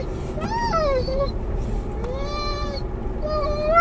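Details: Mungle, a muzzled Doberman/collie cross riding in a car, calls for his lost toy, the Moromom. He gives long, high, tonal whines that rise and fall, one after another, over a steady low engine rumble.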